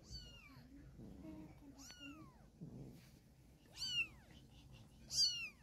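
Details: A mother cat relocating her kittens by mouth. Loud, high, sharply falling meows come at irregular intervals of one to two seconds, with soft rustling between calls and little background noise.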